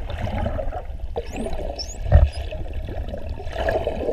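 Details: Wild dolphins recorded underwater in the Ponta do Ouro Partial Marine Reserve, Mozambique: a few short, high, rising and falling whistles near the start, set over a constant low watery rumble and gurgling background.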